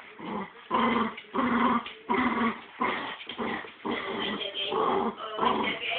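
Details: Two pet dogs tussling over a squirrel toy: rhythmic bursts of harsh, gravelly growling roughly every half second, mixed with snarls and a few short yips.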